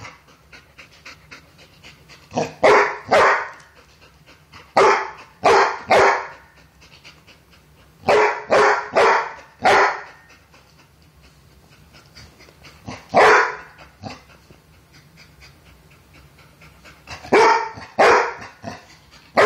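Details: Female Brindle Basset hound bulldog mix barking while playing with another dog over a toy: short sharp barks in bursts of two or three, five bouts over twenty seconds, with panting and quiet gaps between, then the barking stops.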